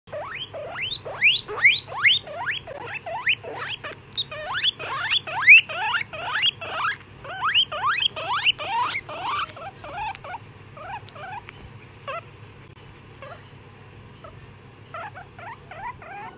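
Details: One-year-old male skinny pigs (hairless guinea pigs) give rapid, high, rising squeals, several each second, fading to softer chirps.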